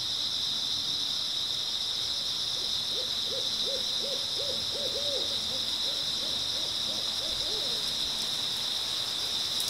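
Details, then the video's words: Steady, high-pitched chirping of grass insects on an early autumn night, an unbroken drone beneath a series of about a dozen low, evenly spaced hooting notes in the middle. "백색소음 풀벌레 소리"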